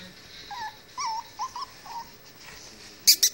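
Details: Three female Chihuahua puppies at play indoors after a bath; a short run of high whiny yelps, each brief and slightly bent in pitch, about four in two seconds, followed by two sharp clicks.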